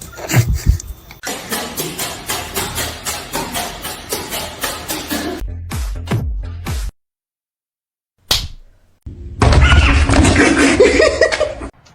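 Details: Upbeat music with sharp slapping hits, a sudden silent gap, then a burst of louder music, with no animal voice heard.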